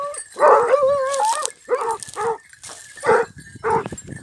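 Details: Basset hound and beagle during hare hunting training in Cyprus; a long wavering bay followed by several shorter baying calls in a broken rhythm.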